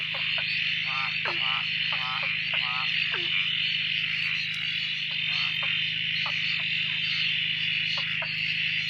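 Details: Frogs chorusing at a dam near Drake after several days of steady rain, newly active after a silent spell; a dense, unbroken high trilling drone carries throughout, overlaid by short stacked calls that fall in pitch, repeated in clusters during the first half.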